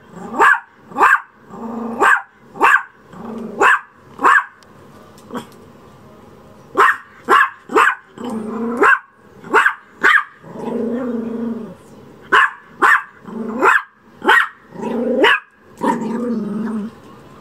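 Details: A wary Chihuahua kept as a shop dog barks in sharp bursts, short loud barks repeated in clusters of two to four with brief gaps, some lower grumbling tones between, in a quiet indoor setting.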